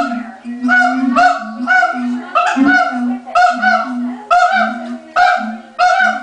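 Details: ['Zoo siamangs in Los Angeles calling right before lunch time, led by the male: loud paired barking notes come in regular bursts roughly every second over a continuous low booming drone.']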